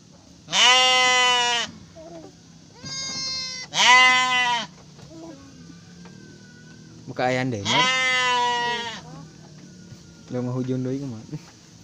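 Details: Garut sheep during the birth of triplets: repeated loud, flat, harmonic bleats, some short and some drawn out over a second, separated by pauses, with faint voices in the background.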